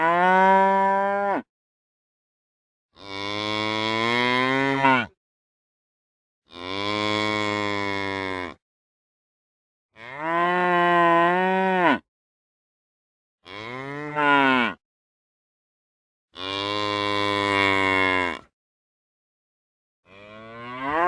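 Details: A run of seven or so moos from real cows, each one to two seconds long, harmonic and bellowing, some sweeping up then down, separated by short silences.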